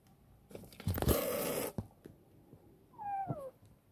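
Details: Chibikuro, a rescued former stray female black cat grown affectionate, kept in a warehouse, gives one short falling meow near the end while being fed, after a loud burst of rustling handling noise indoors.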